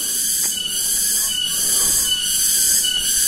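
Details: Afternoon cicada chorus (tonggeret) at Kampung Sindanrasa, Rajadesa, Ciamis, West Java, Indonesia, near houses above a rocky uphill road: a continuous piercing high-pitched buzz that pulses in slow swells about every second, with no other clear sounds.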